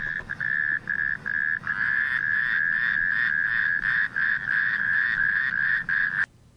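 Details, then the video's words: Male natterjack toad giving its loud, distinctive mating call, said to carry nearly a mile, with spawning from late April to late July; a rapid, steady, rasping trill of about 200 pulses per minute, broken into long bursts with brief pauses. "the mating call of the male natterjack toad is distinctive and loud"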